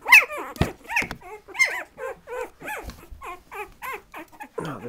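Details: Patterdale Terrier puppies about 2.5 weeks old, whimpering in a steady run of short, arched, whiny yelps. Roughly three come each second, with one sharp louder squeal near the start.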